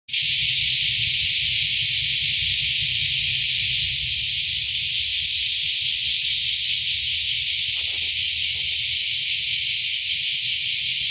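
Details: First cicadas of the year singing in July 2025 at a seaside park by the Akashi River mouth in Akashi, Japan: a dense, steady, hissing buzz that holds unbroken throughout, with faint low rumble beneath.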